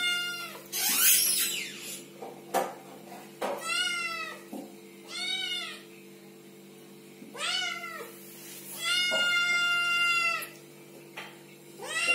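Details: Baby kittens meowing and talking, a run of about eight short and long mews, some drawn-out and wavering, others clipped, with a few sharp clicks and a constant low background hum.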